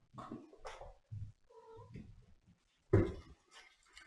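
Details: Domestic cat meowing indoors in a small room: a short tonal mew with steady harmonics midway through, among brief voiced sounds and a louder burst near the end, with faint speech.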